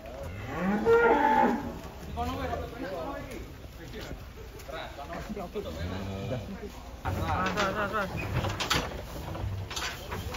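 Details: Cattle being unloaded from a truck in Indonesia in 2025, giving deep, drawn-out harmonic moos, loudest near the start and again around six and eight seconds, with men shouting warnings and handling noise in between.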